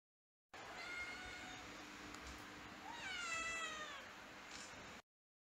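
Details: Kitten kept in a house, giving two drawn-out meows: a thin steady one, then a louder, slightly falling wail with rich overtones, against a quiet indoor background.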